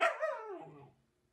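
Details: German Shepherd indoors, a dog that quickly puts on its backpack when it hears it is going out, gives a single loud bark that starts high and slides downward, fading within a second; a person speaks Spanish just before and after.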